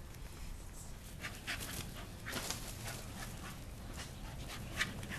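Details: Dog at play with a homemade flirt pole, one of three dogs, the oldest nearly 13; breathy broadband panting bursts come in uneven puffs over a low rumbling background.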